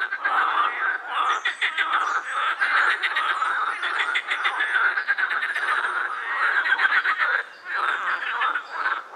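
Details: Pond chorus of edible frogs at the Krebsenwasser, Prater park in Vienna; many males with vocal sacs give dense, purring, rattled croaks that run together for long stretches, with a brief lull near the end.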